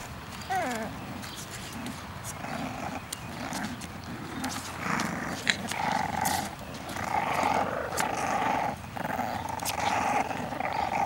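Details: English bulldog puppies in a basket outside: a short, high, wavering whine right at the start, then rough, buzzy growl-like grumbles swelling and fading through the middle and end, over steady rustling and clicking.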